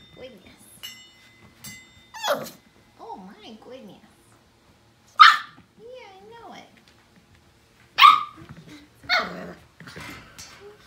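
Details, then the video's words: Five-week-old Portuguese Water Dog puppies from one litter playing in the morning: short high yelps and sharp squeals at irregular intervals, with wavering whiny tones and quiet gaps between bursts. "Five week old Portuguese Water Dog playtime!"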